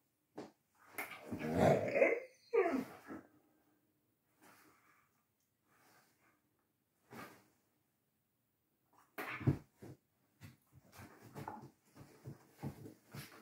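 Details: Galgo Español greyhounds Manuel and Carlotta playing indoors; Manuel has only just discovered play and is clumsy, Carlotta hesitant. A loud rough bark-like outburst with short follow-ups, a long quiet gap, then scuffling, panting and sneezy snorts.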